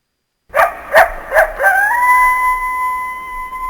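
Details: North American coyote giving three sharp, quickly repeated yips that run into a long, steady, flat-pitched howl held for about two seconds, with a clear higher overtone and no other sounds.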